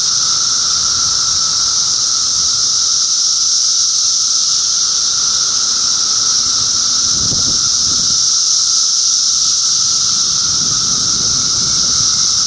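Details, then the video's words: Unbroken high hissing drone of many cicadas, Middlesex County, New Jersey, June 2013, layered over a softer lower tone. Brief low thumps or rustles sound around the middle and again toward the end. "Cicada Symphony"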